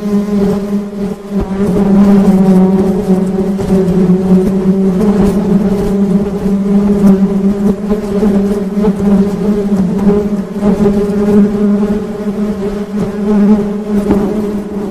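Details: Honey bees (tawon madu) in a steady, continuous low hum with layered overtones, swelling and fading slightly throughout, with scattered soft clicks and knocks in the background.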